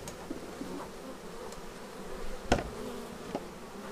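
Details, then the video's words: Honey-hive traffic of bees landing at their beehive, captured on a Xiaomi Yi action camera; a quieter wavering hum with overlapping buzz tones and one sharp click near the middle. "Bees arriving at hive"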